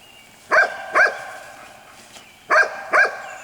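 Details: A litter of white Golden Retriever pups, six weeks old and sired by Gabe out of Jelly, lets out two pairs of high, sharp yips about two seconds apart.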